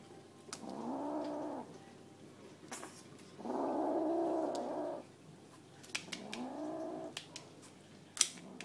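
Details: A 9-week-old kitten guarding a chunk of chicken she found gives three drawn-out, rough growls, each about a second long and rising slightly, with short pauses and faint clicks between.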